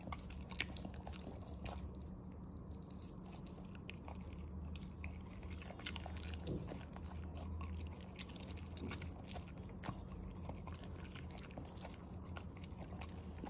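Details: A corgi eating chicken chews noisily, with wet crunches and clicking bites over a low steady hum.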